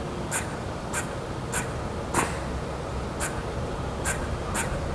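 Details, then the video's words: Squirrel calling, either a greeting or an angry outburst: short, sharp chips repeated about every half second to second, each a brief broadband tick, over a steady low background rumble. "A squirrel is either saying #hello / Or It's Pissed Off."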